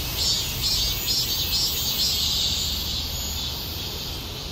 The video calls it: 숨어있는 자연의 신비를 찾아내는 명품영상 / 매미소리 / 매미울음소리 / 매미노래소리